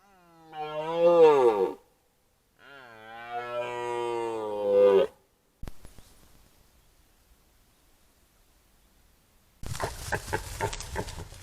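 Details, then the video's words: Red deer stag roaring before a camera trap during the 2025 rut: two long, deep, harmonic bellows, the first falling and the second swelling to a strained end, then a few seconds of quiet and a burst of broadband rustling noise. "Ryczący jeleń byk przed fotopułapką Rykowisko 2025"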